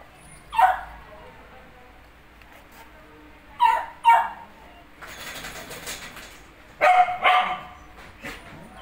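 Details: Male and female Pomeranian puppies in Faridabad, India: a few short, sharp barks spaced a couple of seconds apart, over steady background hiss and some rustling.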